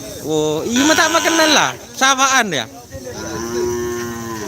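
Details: Racing cattle at Asemanis, Pamekasan on Madura, East Java, where kerapan sapi bull races are held; several loud harmonic moos with sweeping pitch, then a long steady lowing call, light background noise.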